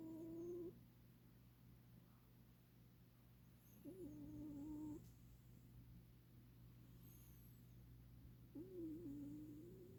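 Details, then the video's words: Domestic cat asleep and snoring: a level, whistling nasal tone with a slight wobble at its start, returning roughly every four seconds, with a faint continuous low hum underneath. "코골이 고양이"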